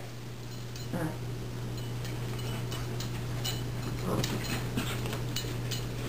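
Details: Steady electrical hum indoors with scattered light clicks and taps, and no animal calls.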